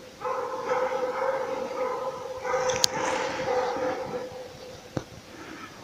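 A Laika gives a sustained, ringing bay, one long held note that breaks off briefly and resumes. Hunting dogs use this baying to hold a moose in place, and a couple of sharp clicks sound in the background.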